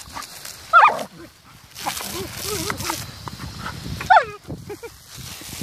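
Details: German Shepherd playing with a water jet outdoors, giving two short, high yelping barks about three seconds apart over hissing spray and a person talking.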